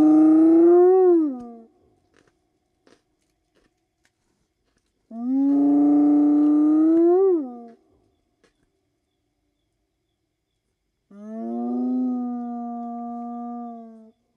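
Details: Series of three spotted hyena whoops, a long-range contact call among clan members in the African bush; each is a hollow, harmonic note lasting about two seconds, the first two ending with an upward flick and the last staying level, spaced roughly five seconds apart.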